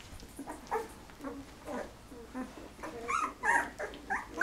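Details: Golden Retriever puppies, 13 days old, from a litter of eleven whose eyes are just opening; high squeaky whimpers and short yelps come in irregular bursts, growing louder and more insistent toward the end, with faint soft rustling between calls.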